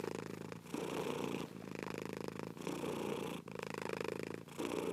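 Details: Continuous low vibrating purr from a cat, pulsing through alternating inhale and exhale phases about a second each, separated by quick gaps.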